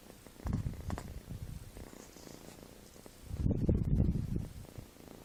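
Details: A kitten snoring like a human while asleep: low, rough breathy rumbles in two slow swells, one brief and one longer and louder, with quiet pauses between them.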